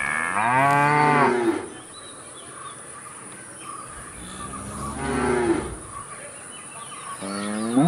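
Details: Cows mooing: two long harmonic-rich moos, the first about 1.5 seconds and the second rising then falling, with a third moo beginning at the end; faint bird chirps and a steady high hiss in the background.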